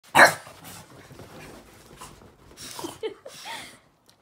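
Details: Boston Terrier and French Bulldog playing together: one loud, sharp bark right at the start, then soft breathy noise, with a person's voice faintly near the end.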